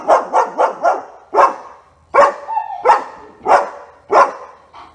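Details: Repeated barking from Otto, a German Shepherd in training: four quick barks in a row, then louder single barks spaced under a second apart, each harsh and broad.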